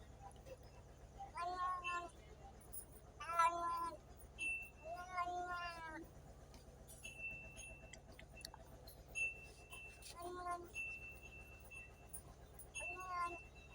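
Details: Cats and kittens meowing in short bursts every two to three seconds, several rising then falling tones, with repeated thin electronic beeps between the calls.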